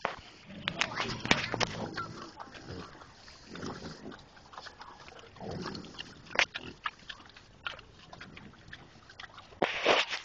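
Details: Wild pigs in Fresno heard face to face from about two feet away: scattered short rough grunts and snuffles at close range, with a loud burst of noise near the start and another near the end.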